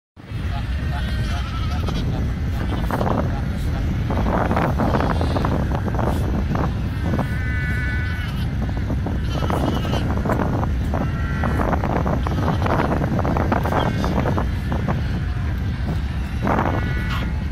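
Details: Young seals at Cape Cross, Namibia, call over and over in a crowded colony, their harsh bleats rising above a steady roar.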